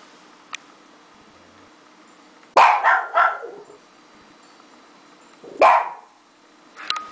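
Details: Pet Japanese Chin indoors, trying to howl at dogs heard on a computer: a cluster of three short, harsh, strained yelping bursts, silence, then one more rough yelp, over a faint steady low hum.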